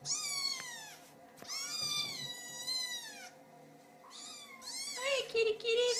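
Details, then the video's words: Kittens meowing to get their owners' attention: long, high, harmonically rich mews in quick succession, with gaps between bursts, a person speaking softly nearby indoors. "Little Kittens Meowing"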